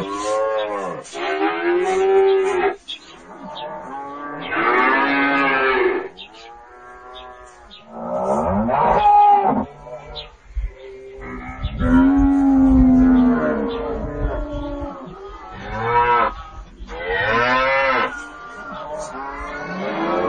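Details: Repeated cattle moos over twenty seconds, several animals or calls overlapping, varied bellows, some higher and strained, others low and steady, with short gaps between them.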